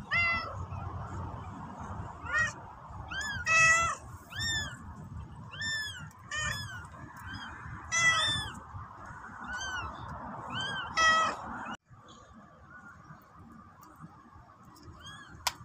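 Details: Black mother cat, a stray, carrying her newborn kitten in her mouth and meowing to ask people to follow her back to the nest; repeated harmonic meows roughly every second or two over steady background hum, then quieter near the end.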